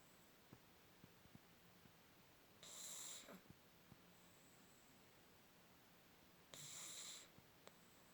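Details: A sleeping pug gives two rasping, whistly snores about four seconds apart, each lasting under a second, with faint ticks and near silence in between.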